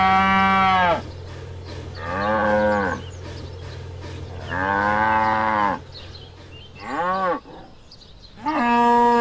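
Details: Cow on a farm giving repeated moos: five loud, harmonic calls of one to two seconds, some bending up and down in pitch, separated by short quiet pauses over a low steady hum.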